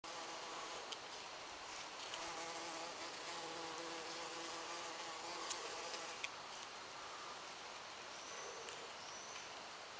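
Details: A bumblebee at foxglove flowers gives a low, droning buzz that hums steadily for several seconds over a constant background hiss; recorded 24 June 2016.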